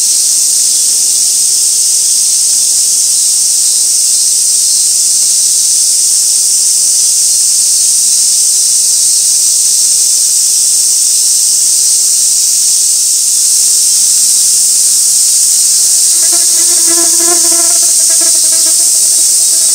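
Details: A Japanese cicada chorus in early August, a steady, high-pitched hissing drone that runs unbroken, recorded on a hillside by old sawtooth oaks where flower chafer beetles gather.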